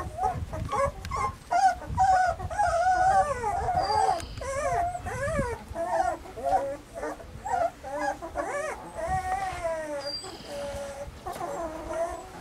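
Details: Weimaraner puppies named Bailey, Hailey and Jenny, filmed in summer; overlapping high whimpers and whines with wavering, bending tones, some rising-then-falling cries and short yips, several pups calling at once in quick succession.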